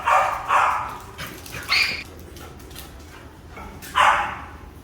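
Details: Labrador Retrievers Charlie and Rocky at play. They give four sharp barks: two quick ones close together, a higher-pitched bark about a second later, then a long pause before a final loud bark. Faint background hiss.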